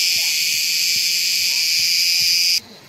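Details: Cicadas singing in large numbers at a pine-forest campsite near Ayvalık on the Aegean coast of Turkey, the chorus swelling; a dense, steady high-pitched buzz holds for over two seconds, then cuts off abruptly.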